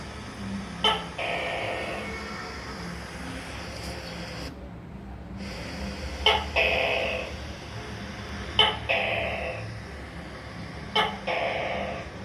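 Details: Calling gecko: four clicks, each trailed by a throaty, buzzy croak that fades away, spaced about two seconds apart. A steady hum fills the background and there is a short silent gap near the start.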